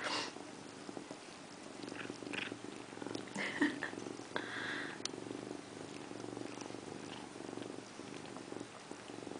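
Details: Indiana Piano Rabbit, a pet female cat, sits in a bathroom sink taking a bath and meows. A couple of short, tonal meows stand out around the middle over a steady low rumble, with faint indoor background noise.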